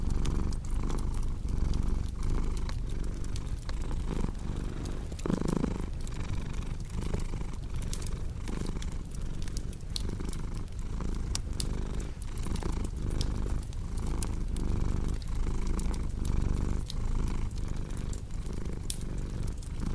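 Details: Low throbbing purr from a cat, cycling with inhale and exhale about once a second. Frequent dry crackle and pop of burning wood sits in the background.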